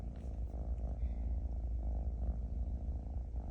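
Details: Playful kitten, scolded for repeatedly biting a hand, purrs continuously indoors; a deep, even rumbling purr with rhythmic pulses fills the whole stretch, with a faint brief high squeak near the middle.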